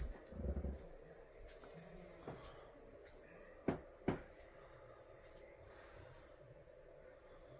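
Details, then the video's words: Kept crickets giving a steady, unbroken high-pitched ringing trill that holds one pitch throughout, with faint low rumbling and a couple of soft knocks in the background. "my crickets"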